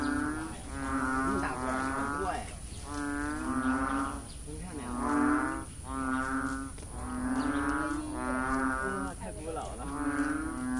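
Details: Several frogs calling before 9 am on the main axis of Sun Yat-sen University, Guangzhou: about seven deep, cow-like lowing notes, each nearly a second long and harmonically rich, repeated steadily with short gaps and some overlap between callers.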